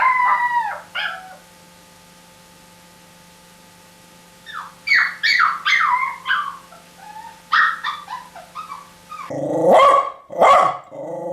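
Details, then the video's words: Short squeaky dog yelps and whines come in scattered bursts, with a quiet gap early on. The calls end with two louder, harsher barks near the close. "Los mejores LADRIDOS DE PERROS"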